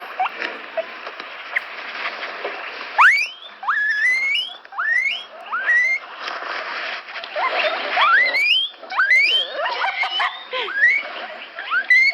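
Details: Guinea pig squeaking: after about three seconds of soft background hiss, a string of sharp, upward-sweeping squeaks follows, each rising steeply in pitch, coming roughly every half second to one second, some in quick doubled bursts.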